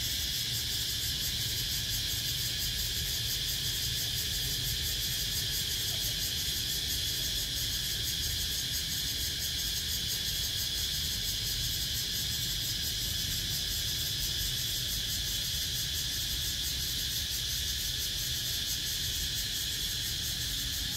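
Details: A cicada's steady, high, shrill drone holds unbroken from start to finish, recorded on 17 April 2023.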